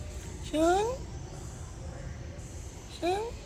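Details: Domestic cat giving two short, rising, harmonic meows about two and a half seconds apart, over a steady low background rumble.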